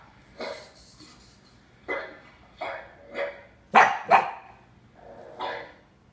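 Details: A pug puppy gives short, sharp barks in an irregular series at the sound of barking dogs in videos playing on a TV, which he thinks are nearby.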